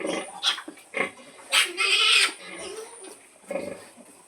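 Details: Domestic pig, a mother sow calling her piglets to feed: short, harsh squealing grunts in separate bursts, the longest and loudest lasting about half a second near the middle, with quieter grunts before and after.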